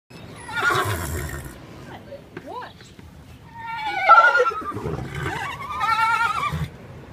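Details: A horse at the Kentucky Horse Park whinnies, its high wavering neigh shaking and falling in pitch, with human voices nearby.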